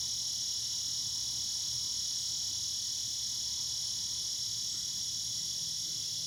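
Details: Cicadas in the evening sing a steady, high, shimmering buzz that holds without a break.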